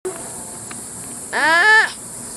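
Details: Sloth calling: one clear, tonal, bleat-like squeal lasting about half a second, rising slightly and then holding steady, over a constant high hiss with faint clicks.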